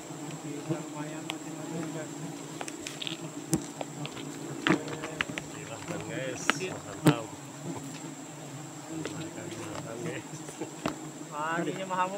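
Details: A Bornean nest of giant honey bees (Apis dorsata) in rainy season gives off a sustained, layered buzzing drone throughout, overlaid by irregular clicks, snaps and occasional speech from people working close by.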